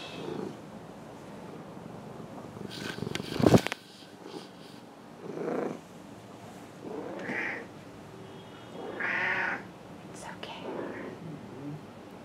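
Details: Henry, a 16-year-old cat with large cell lymphoma, during a weekly Reiki session on July 28, 2021; a few short, tonal, meow-like calls spaced a second or two apart, a sharp clatter early on, and a low background rumble.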